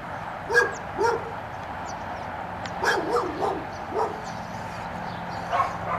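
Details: Five-month-old puppy barking as a distraction during black Labrador Retriever water retrieve training, short yapping barks in bursts, some doubled, with steady background hum outdoors.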